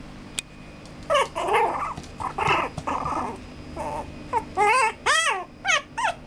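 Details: Male Maltipoo puppy giving a string of high, harmonic whines and yelps, some rising then falling in pitch, clustered into bursts with short gaps, the last few sharper and arched; faint room hum underneath.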